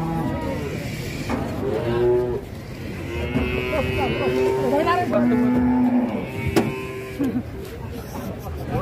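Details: Cattle coming off a truck and thrashing about: several long, level moos with strong harmonics follow one another over about nine seconds, mixed with shouting people, knocks and scraping.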